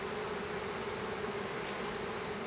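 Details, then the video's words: Small swarm of western honey bees being hived in a privet hedge thicket, south Alabama, April 2014: continuous even buzzing drone with a steady low hum and faint higher flickers of single passing bees. "Honey Bee Swarm"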